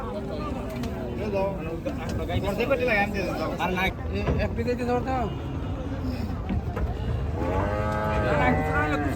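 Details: Large Gaiya cows at a cattle farm, many brief moos and grunts tumbling over one another amid crowd noise, ending in a louder drawn-out bellow.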